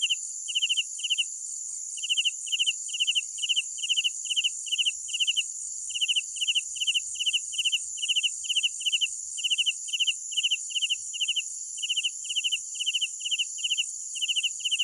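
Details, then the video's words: Cricket chorus at night: a near cricket repeats short pulsed chirps about two or three times a second, over a continuous high ringing drone of many others. "Sounds of Night Crickets"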